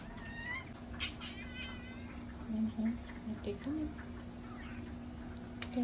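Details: Playful rescued kitten lets out a few quick rising meows early on, then quieter background with low human speech and a steady hum.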